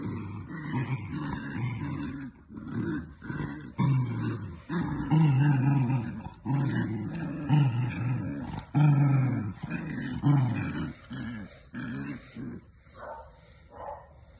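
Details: Dachshund at play, growling in rough, low bursts that come about once every second or two, each a gravelly rumble rising into short barking yelps, with a pause near the end; faint voices and music in the background.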